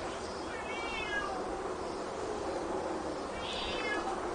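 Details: Cats and kittens in a fight give two brief, tremulous meows, rising then falling, spaced about three seconds apart against constant background hiss.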